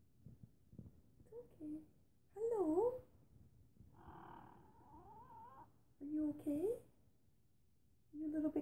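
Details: Formerly feral rescued female cat, newly chatty and coming out from under a desk indoors; several short bending meows alternate with a woman's gentle talking, the calls dipping and rising in pitch.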